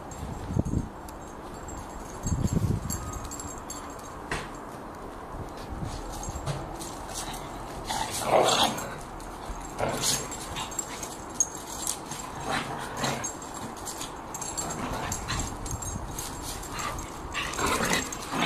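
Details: Irish Terrier and lurcher playing rough together, giving scattered rough growls, short yips and snorting bursts over several seconds, with thumping and scuffling from the tussle between calls.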